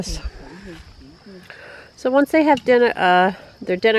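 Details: Six-week-old Great Dane puppies in their first bath: after soft low sounds, a burst of loud, wavering, whiny cries comes in quick succession, some drawn out with a slight quaver.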